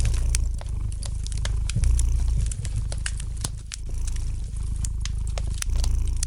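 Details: Cat purring by a crackling fire, a deep continuous rumble rising and dipping in soft pulses, overlaid with frequent crisp snaps and ticks from the fireplace.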